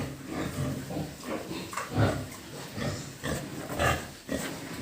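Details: Pigs at a pig farm giving short, low grunts in irregular bursts, some rising into brief harsher squeals, with a steady low background hum throughout.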